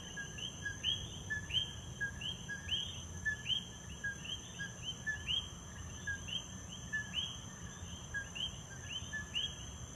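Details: Dense nighttime-style chorus of coqui frogs in Puerto Rico, rapid overlapping two-note calls, the second note a loud rising chirp, pulsing steadily above a constant high insect buzz.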